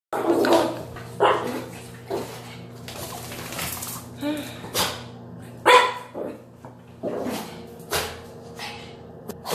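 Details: Yorkshire Terrier, described as a little bully, right after a bath it hated, giving short sharp barks at irregular intervals, about eight in all, mixed with a person's voice and indoor background.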